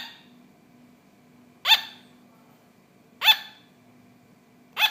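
A sugar glider gives sharp, high yapping barks, one about every second and a half.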